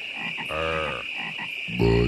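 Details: Frogs give non-stop low, rough croaks, each lasting about half a second, over a steady high hum at Great Falls National Park in McLean, Virginia.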